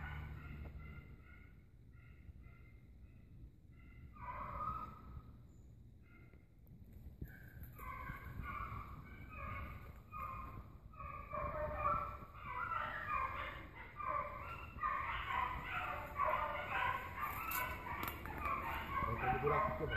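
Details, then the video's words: Hunting dogs in pursuit of an agouti, with scattered distant bays at first, then a dense, overlapping chorus of harmonic yelps that grows louder and more continuous toward the end over a low background rumble. "cachorrada correndo cutia"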